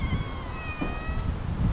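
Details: Cat with a mother and her two kittens nearby gives one drawn-out, steady meow lasting over a second, over low rumbling background noise.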